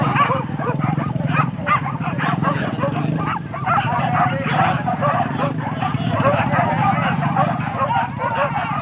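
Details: Hunting dogs chasing wild boar at Kayu Ampek in Tanjung Emas, Tanah Datar regency; a continuous clamour of quick, overlapping barks and yips from several dogs, with human voices and a low droning rumble in the background.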